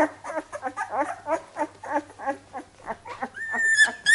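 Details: Labrador Retriever puppies indoors, a rapid jumble of short high whimpers and squeaks overlapping at about three per second, ending in a thin sustained whistle-like whine, with a low steady hum beneath.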